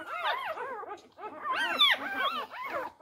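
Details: Four-day-old Labrador Retriever puppies squabbling over their mother's teats, giving overlapping arched, whining squeals that rise and fall, several voices at once in quick bursts with a brief pause near the middle.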